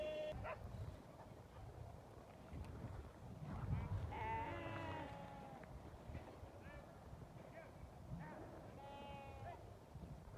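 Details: Hungry lambs (Ovis aries) give wavering, nasal hunger bleats, two clear cries a few seconds apart over a steady rumble. They call only when hungry, not to each other, after their mothers were sent back out to the flock.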